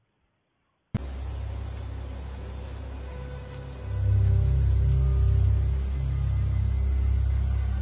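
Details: Deep rumbling music with low droning tones swells after a brief silence, and no animal voice is heard.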